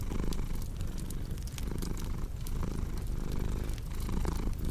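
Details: Low, continuous purring from a cat, its rumble pulsing gently, overlaid by dense crackling and snapping from a fireplace.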